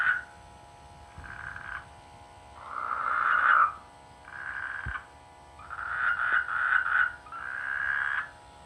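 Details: Frogs in village rice fields in the rainy season croak in repeated nasal bursts, several calls overlapping in a busy chorus.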